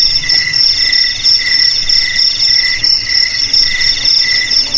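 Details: Crickets chirping, a sound meant to scare off rats: bursts of high, ringing pulses at about one per second, layered over a continuous shrill whine, with faint low murmur beneath.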